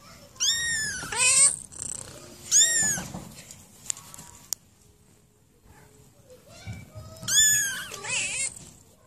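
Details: High-pitched kitten meows, thin and strongly harmonic, arching up then down, three bouts spaced by quiet gaps with faint clicks between; a soft breathy rumble under the calls.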